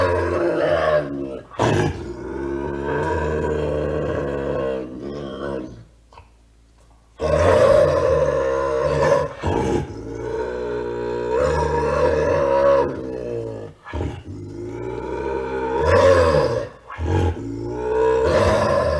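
A bobcat growls in loud, rasping bursts, mixed with sharp snarls and short chuffs.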